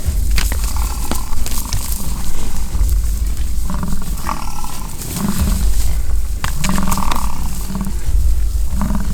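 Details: American bison fighting in the rut at a Fort St. John ranch, British Columbia, Canada: short, throaty low grunts and roars in a loose series, with heavy wind buffeting throughout.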